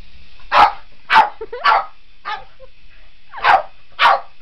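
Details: Sharp barks from Otis the Boston Terrier as he battles a remote control helicopter, six loud yaps in about four seconds with a short whine between, over the thin mechanical hum of the rotor.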